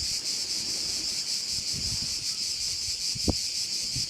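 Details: At a Korčula bay in Croatia, crickets keep up a sustained high-pitched trilling hum with rapid pulses, accompanied by soft wind and one brief sharp click.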